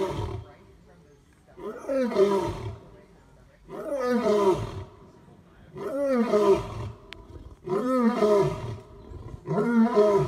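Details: Male lion roaring in a grunting sequence, each deep rising-and-falling roar lasting about a second and repeated roughly every two seconds; one of three big males compared to find the loudest roar.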